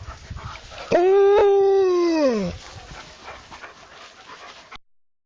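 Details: Alaskan Malamute giving one loud, smooth, harmonic-rich howl lasting about a second and a half, held steady then sliding downward at the end, followed by quieter background noise.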